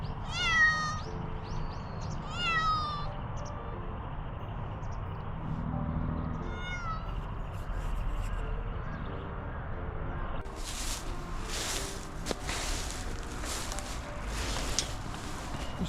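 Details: Cat taken outdoors on New Year's Day 2024 to see the first sunrise, giving three thin rising meows in the first seven seconds over steady low wind rumble, followed by crackling handling noise.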